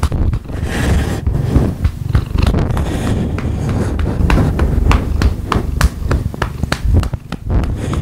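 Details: Pet cat getting rump pats and purring, a steady deep throaty rumble under quick patting taps that grow more frequent toward the end.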